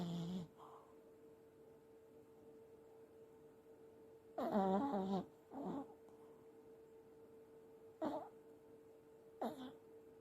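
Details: Elderly Pomeranian asleep, snoring: widely spaced rough, throaty snorts separated by several seconds of near silence, one longer buzzing snore in the middle, with a steady electrical hum indoors.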